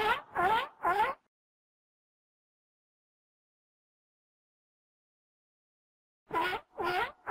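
A seal gives two bursts of three quick, hoarse, harmonic barks separated by a long silence.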